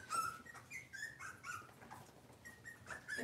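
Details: Kitchen-cam Cavalier King Charles Spaniel puppies, cloudy Monday morning indoors: a run of soft, high-pitched whimpers, each short and wavering, coming roughly every half second, set against a steady hiss of room noise.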